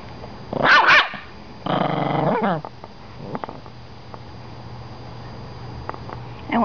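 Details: Toy Poodle guarding his bone as his owner tries to take it: a sharp snarling outburst near 1 s and a longer rasping growl around 2 s, then quiet with faint clicks.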